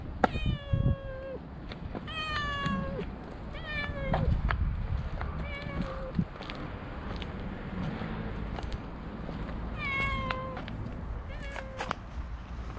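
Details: Stray cats on a walking path, being petted as others approach, give about six clear meows, each falling slightly in pitch at the end, spaced a few seconds apart over a low rumble of outdoor background noise and occasional clicks.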